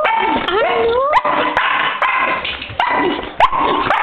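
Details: Female dog Guinness greets her owner on returning after being left alone for an hour, giving drawn-out whining, yodel-like cries that swoop up and fall away in several bursts, with a man's voice talking to her and sharp clicks and knocks.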